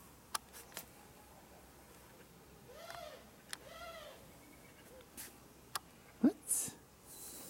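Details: Jaba the cat, perched on a high, tiny spot indoors, gives two short, soft meows close together, each rising then falling in pitch, amid scattered sharp clicks and taps in a quiet room.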